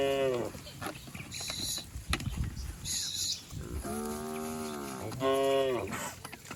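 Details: Cattle herd leaping and running down a green hill in a village setting; two drawn-out harmonic moos, the second rising then falling, amid hoof thuds, rustling and scattered higher calls.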